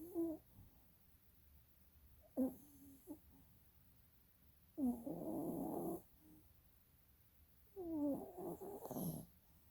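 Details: Soundly asleep with eyes rolling, a dog snores in irregular bursts: short nasal snorts followed by longer, rough, droning inhalations that carry a thin whining tone, then silence between breaths.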